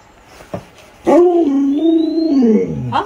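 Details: Alaskan Malamute Luoluo, a pet dog, playing hide and seek with its owner. After a few faint sounds, a drawn-out howl of nearly two seconds wobbles gently in pitch, then falls at the end.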